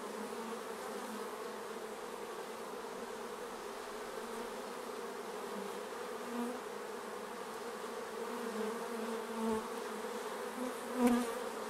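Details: Many bees buzzing around the hive, a constant droning hum that swells near the end as individual insects fly close, with a couple of soft knocks.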